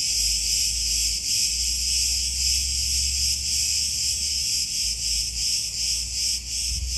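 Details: Olive-grove cicadas on Crete, Greece, in full chorus: an intense high-pitched whirring with gentle pulsing, over a low wind-like rumble.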